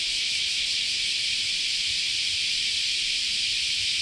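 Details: A dense summer chorus of cicadas at Chionji Temple in Kyoto, Japan, forms a steady, high, hissing drone with no breaks.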